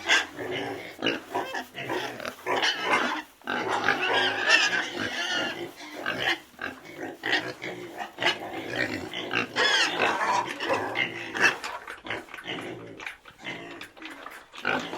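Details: Pig vocalising almost without pause, dense overlapping grunts mixed with higher, harsher squealing bursts that swell and fade over the whole stretch.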